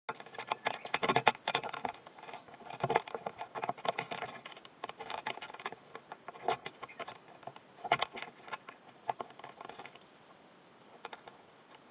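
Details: Close, dry scratching and tapping patter with light rustles; no animal calls are heard.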